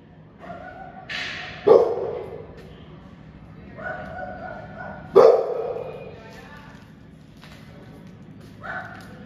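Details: Angry pit bull letting out two hard, sharp barks roughly three and a half seconds apart, with softer voice-like sounds in between.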